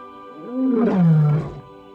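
A lion lets out a single deep, throaty roar, rising briefly before sliding down into a low rumble. Soft background music with steady tones plays underneath.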